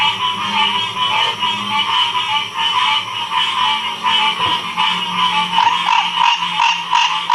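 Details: Frogs calling together in Ocean Springs, Mississippi, 2016: a thick, unbroken chorus of trills and croaks, with a few louder individual notes emerging near the end.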